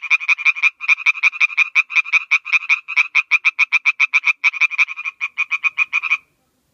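An Oriental tree frog gives a fast, steady run of sharp, nasal clicks lasting about six seconds.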